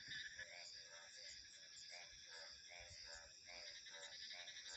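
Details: A frog repeats short grating croaks about three times a second beneath a loud, continuous high-pitched chorus of insects and crickets, with faint wind in the background.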